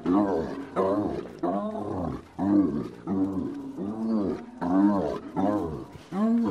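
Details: Spotted hyena in a bout of maniacal laughing, strings of harmonic, bouncing cackles with arched, slightly wavering notes, repeated in short bursts with brief gaps across six seconds.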